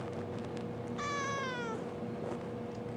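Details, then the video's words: Answering her owner's question about wanting a drink, kitten Halo lets out one meow of under a second that glides steadily downward in pitch. Faint background hum from the room. "Talking Kitten Responds To Questions"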